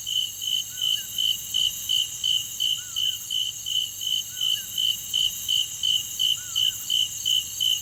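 Insects sing with a steady high hiss and a pulsing chirp repeated about three times a second.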